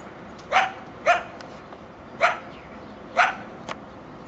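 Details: Coyote family near a home by railroad tracks in Chatsworth, California, at about 7am on 13 October 2024; four sharp, clipped barks spaced roughly half a second to a second apart, then a fainter fifth note, over quiet background.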